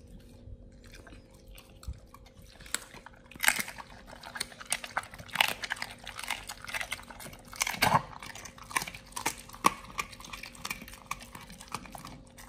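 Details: Raw-fed Pit Bulls gnawing beef shank: quiet start, then loud separate crunches every second or two, wet tearing between them, with a faint steady hum in the background indoors.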